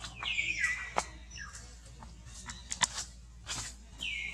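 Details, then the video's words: Hungry baby capuchin monkey Alba pleading to its mother for milk with high whistled cries sliding downward, one long wail at the start and another near the end, between soft clicks and rustles. "Sounds Monkey"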